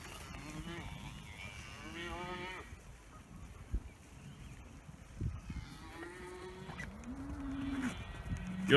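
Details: Dexter cattle mooing in the morning, bored of their grazing and calling for fresh grass; several low, drawn-out moos, some rising, spaced through the clip with a person speaking quietly in between.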